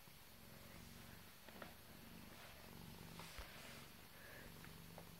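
A British Shorthair cat gives a continuous purr, a deep, fast-pulsing rumble that stays even in pitch and loudness. A few faint clicks and soft rustles sit lightly over the purring.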